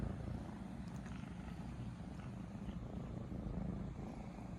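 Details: Two 3-month-old kittens purr affectionately together as their owner wakes. The purr is a steady low rumble that throbs without pause, as loud as little machines running.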